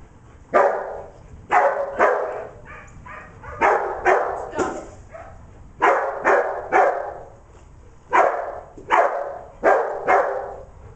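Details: Dog named Declan barking while herding sheep, recorded 25 September 2011; loud sharp barks in irregular bursts, often doubled or tripled, roughly every second or two across the clip.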